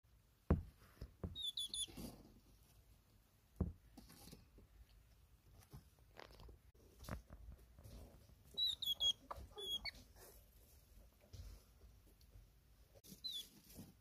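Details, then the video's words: Pet male hedgehog Dochi reacting indoors to the scent of his female partner Choco; short, high squeaky chirps come in two quick bursts, with soft sniffing, patter and rustling between them. "The sound a hedgehog makes when it smells its beloved hedgehog."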